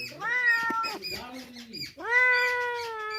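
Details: A stray kitten being fed milk by people meows loudly. Two long, clear meows, each with a rising start and a steady tone, are separated by a short, lower cry. A man's voice is faintly audible.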